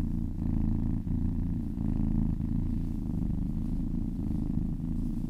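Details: Massaged cat purring in a steady low drone, with short breaks at about one and 1.7 seconds marking breaths between rumbling phases.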